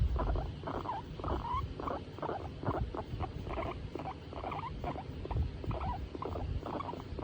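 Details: Female skinny pig in a good mood while being stroked, giving brief chirping squeaks and soft chattering rumbles in a quick, fairly even series against a low rumbling background.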